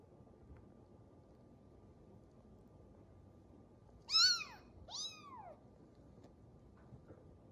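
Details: Kittens play-fighting: two short, high arching mews in quick succession, each rising then falling, in an otherwise quiet room with faint low hum.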